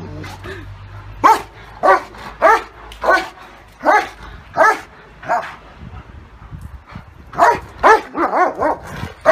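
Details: Barking from a German Shepherd versus Great Dane fight, sharp bright barks arriving singly about every half second to second, then a closer cluster of four or five toward the end, over a low rumbling background.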